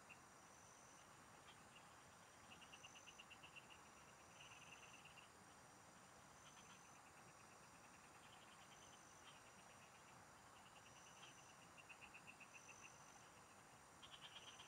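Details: Singing frogs in farm fields, heard while fishing: repeated short bursts of quick, high, rattling pulses, spaced irregularly through the recording, with a steady high hum and a recurring faint higher whistle behind.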